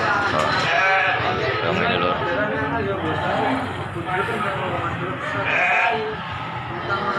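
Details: Several bleats from Gibas sheep at the Bangsri livestock market, Jepara, Indonesia, nasal and quavering, repeated amid constant crowd talk and general market bustle.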